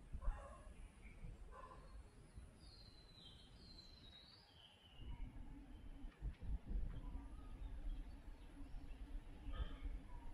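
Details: Bees feeding on nectar from coat button flowers (Tridax procumbens): a steady low droning hum sets in about halfway through and holds to the end, while scattered bird chirps and thin high whistles sound around it.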